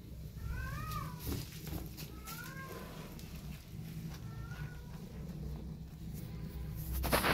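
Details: Kittens waiting for their mother cat give thin, arching meows that rise then fall. Three or four faint calls are spaced a second or two apart over a steady low hum and some rustling.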